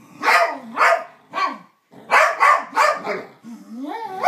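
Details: Psyche and Harvey, two dogs making strange noises at each other, trade short sharp yips and barks in quick clusters, with a brief pause, ending in a rising, whining moan.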